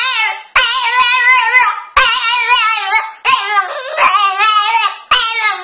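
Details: French Bulldog trying to get up onto a couch indoors, giving long, loud, wavering high whines in drawn-out bursts of about one to one and a half seconds, separated by brief gaps, in a small room.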